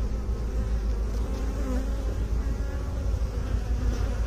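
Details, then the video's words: Honey bees in a beekeeping setting: a dense, continuous low buzzing hum with layered overtones, steady in loudness throughout, with no other clear sounds. "Bee song"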